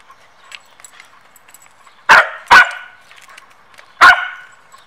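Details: Samoyed dog during training time, Zuko bothering Mozart; two quick loud barks in succession followed by a third after a short pause, over faint background chirping noise.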